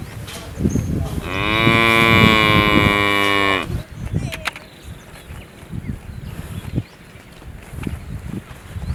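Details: Cow giving a single sustained moo of about two and a half seconds, steady and rich in tone, followed by several seconds of quieter rustling, knocks and background noise.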